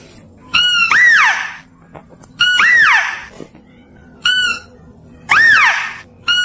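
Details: Mouse-deer calls, clear and loud, used for luring: four sharp bursts, each a harsh harmonic squeal that rises and falls in an arch, about every one and a half seconds, over a faint background hum.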